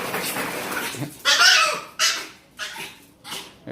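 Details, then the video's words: A female dog reacting to a strange sound by spinning and making her noise: sharp, high, strained bursts, a long one followed by shorter ones, after a woman speaks Spanish indoors. "Most annoying dog noise"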